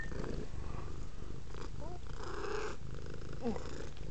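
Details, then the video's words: Velvet, a female pet cat, purring indoors while interested in a cord hanging from a Kodak M1033 HD camera; a steady low rumbling purr throughout, with a few faint higher sounds drifting over it. "Velvet is purring"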